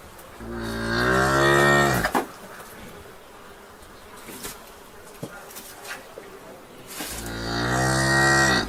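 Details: In a barn, a cow gives a long, low, droning moo that swells then breaks off, followed after a pause by a second similar moo, with soft knocks and rustles of barn clatter between.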